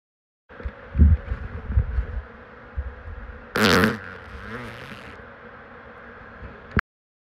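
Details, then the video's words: An American bullfrog at a pond on a warm summer night gives a few deep, low, rumbling croaks over a steady background hum. "40 The gentle call of a bullfrog on a warm summers night"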